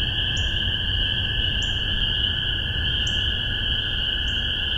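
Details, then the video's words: A dense chorus of spring peepers in Massachusetts in spring 2015, their high piping peeps merging into one steady shrill ringing. "Spring Peepers"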